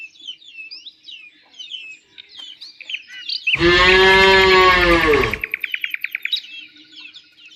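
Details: Cow in nature giving one long, loud, harmonic moo lasting nearly two seconds, with small birds chirping and trilling before and after it.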